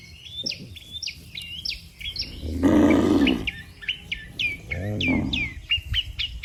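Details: Cattle, one of dozens lined up neatly on a road, moo as if calling the herd home to the pen. One loud low drawn-out moo near the middle, a shorter one after it, with busy chirping birds all around.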